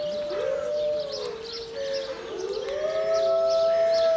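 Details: Several wolves at Berlin Zoo howl together in long, smooth, overlapping tones that slowly rise and fall.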